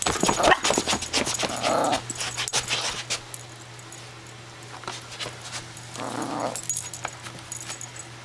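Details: Hazel, a five-month-old long-haired Chihuahua pup filmed in November 2008, gives two short soft whimpering-growling bursts near the start and another around six seconds, mixed with clicks, scratching and a steady low indoor hum.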